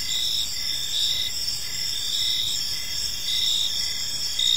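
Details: Crickets chirping on an evening in a peaceful park: a steady, shrill high-pitched trill underlies short pulsed chirps that repeat roughly once a second, with faint background noise.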